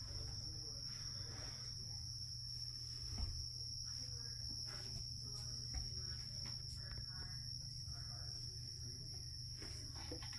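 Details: Carolina ground cricket kept in a critter keeper, giving a continuous high, steady trill that runs unbroken throughout, over low rumbling room noise and faint scattered background sounds.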